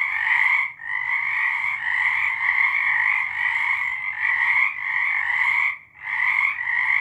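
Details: March 2023 night chorus of frogs, loud rolling trills stacked in two bright bands, broken by two brief dips in volume near the first and sixth seconds before the calling surges back.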